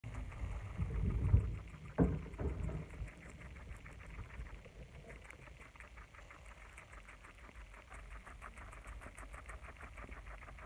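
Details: Several pet guinea pigs eating lettuce: rapid, crisp crunching bites repeated about one and a half times per second, with dull handling bumps and a low rumble in the opening seconds before the steady munching continues.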